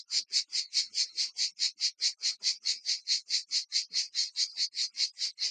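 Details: Provençal cicadas near Vaison-la-Romaine, Provence, heard in the evening, sing together in a harsh, high, buzzy chorus that throbs in even, rapid pulses, several per second, without pause.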